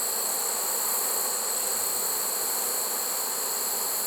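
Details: Late-season swarm of honey bees taken in a trap in early September, heard as an unbroken, even buzzing drone layered under a bright steady hiss.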